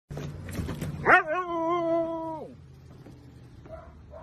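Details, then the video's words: Siberian Husky 'saying I love you': after a second of noisy bursts, one drawn-out, harmonic, howl-like vocal that swoops up, holds steady for about a second and a half, then drops away into quiet room noise. "I Love You ❤"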